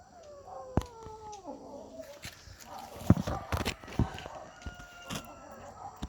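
A kitten gives a strained, falling, tonal growl, followed by scattered clicks and knocks of handling.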